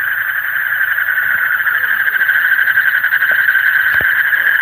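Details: Deep-night frog chorus, an unbroken buzzy drone of many overlapping pulsed calls holding one mid-range pitch, with a faint higher overtone and a brief tap near the end.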